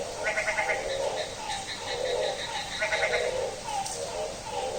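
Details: Bleating, goat-like frog calls repeated in a run at midnight during rain, accompanied by short high-pitched chirping bursts in the background.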